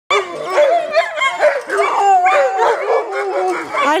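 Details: Alaskan Malamute giving varied, wavering 'talking' vocalizations: harmonic yodel-like wails that bend up and down in pitch, one long even tone near the middle, sounding continuously with no pauses.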